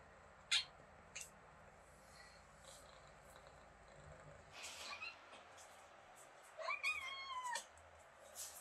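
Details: Kitten in Greece giving its sweet beeping call: a few faint clicks and rustles, then a clear, tonal, slightly wavering mew lasting under a second, with quiet room-like background noise.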